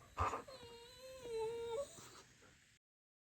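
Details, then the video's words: Indoor Siberian Husky Taco waking its owners at dawn with a soft, drawn-out whimpering whine, slightly wavering and dipping before a short upturn at the end, preceded by a brief thump, with faint room hiss. "When Your Dog Is Your Alarm Clock..."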